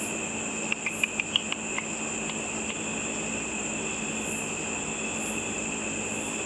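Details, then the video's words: Feeding bats over a lit pool after dark, heard through a simple frequency divider bat detector: a cluster of rapid clicks around the first two seconds, then only the steady electronic tone and hiss remain. "A video of bats with audio of the bat calls."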